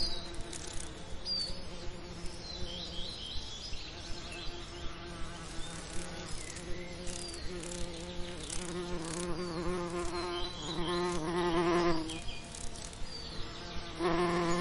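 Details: Bees among summer lavender, a low droning hum with layered harmonic tones that swells and fades as insects pass close, over a steady faint background, with soft ticking and faint high chirps in the distance.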